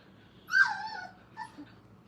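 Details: Five-week-old Brittany puppy at Hilltop Training Kennel, among littermates at play: one sharp, high whimpering yelp that slides steadily downward and tails off, then a brief fainter yip a moment later, against a quiet indoor background.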